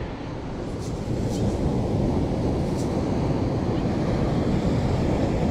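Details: Steady wind and surf rumble dominate, with no animal calls standing out.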